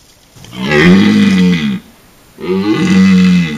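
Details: A rutting red deer stag taking a bath in a wallow gives two long, deep, groaning roars separated by a short pause.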